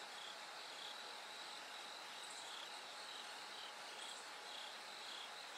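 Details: Bell cricket singing at night as it gradually grows brighter toward dawn; short bell-like high notes repeat in broken bursts over a steady hiss of background noise.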